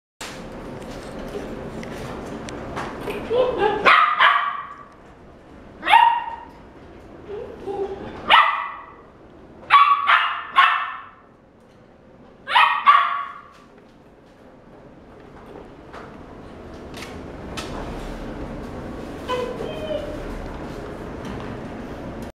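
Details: Yellow female Labrador Retriever puppy, born June 2016, at a pet shop, giving a series of sharp, high barks in short bursts about every two seconds, with human speech and background room noise.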